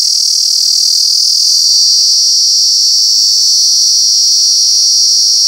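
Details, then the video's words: Ear-piercing cicada chorus recorded in Alaveddy, Jaffna: an unbroken, intensely shrill, high metallic hiss sustained at even loudness from start to finish, with faint low hum beneath. "சில் சில் சில்வண்டு"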